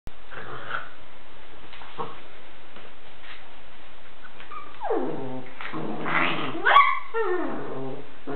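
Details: Puppy vocalizing in a quiet indoor setting: low growly grumbles early on, then a burst of drawn-out whines that slide downward in pitch, layered and strained, near the end.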